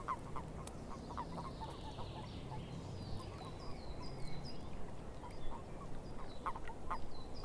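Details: Frogs in a swamp give short, clipped croaks scattered through a loose chorus, while a bird repeats high, falling whistled notes overhead over a steady low rumble.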